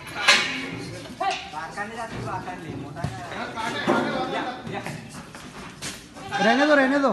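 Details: Goats at a breeding farm setup of about 100 goats in Nashik, India; several wavering bleats over talking voices, ending with a loud, clear, quavering bleat near the close, with farm chatter throughout.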